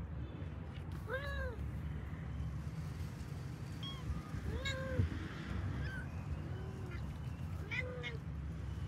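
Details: A family of pet kittens calling as they look for their mother: repeated arched meows, some lower and drawn out, others high and brief, every second or two above a continuous low rumble.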